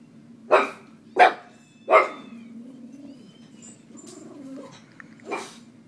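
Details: Pet dogs barking while being deliberately annoyed by their owners; three sharp barks in quick succession about every 0.7 seconds, a pause with soft whines and low murmurs, then one more bark.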